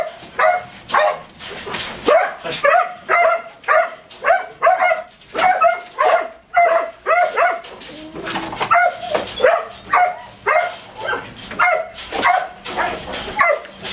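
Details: Belgian Malinois male during detection dog training, barking steadily in short, bright, rhythmic bursts, nearly two per second, with a brief lull midway before the barking resumes.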